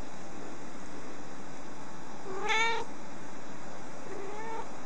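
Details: Rescued baby kitten that had escaped, giving one short high mew and a fainter second mew two seconds later, over constant background hiss.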